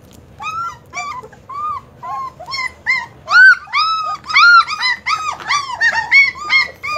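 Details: German Shepherd puppies whimpering in a run of high, arching whines with rich overtones, each cry brief and rising then falling, coming in quick irregular bursts that grow louder and more crowded toward the end.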